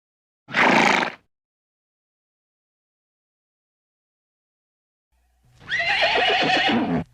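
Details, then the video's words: Horse sounds: a short harsh burst, a long silence, then a sustained quavering whinny with a shaking, wavering tone. "What do animals sound like? Farm animals - cats, horses"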